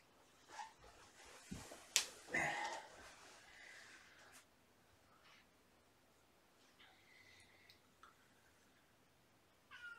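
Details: Meowing from shelter kittens, three siblings surrendered with mother Olympia: scattered high, thin meows, some brief and bent, spread over the stretch amid sharp knocks and soft indoor rustle.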